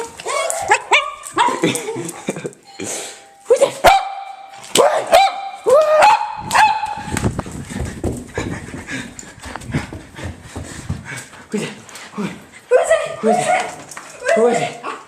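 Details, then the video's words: Two pet dogs barking excitedly indoors in reaction to a doorbell sound played on a computer; loud sharp barks in bursts, with a doorbell chime, a person urging them on and laughter mixed in. "Dogs go crazy to doorbell sound!"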